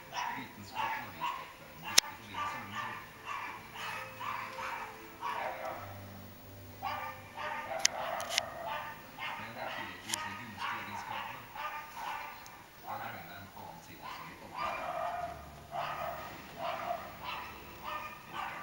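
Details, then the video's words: Dog outdoors, with a fox beyond the fence, giving a long series of rough barks in steady bursts about every second, with a couple of sharp clicks and faint background noise. "Hundan ute, rev utforr gjerdet"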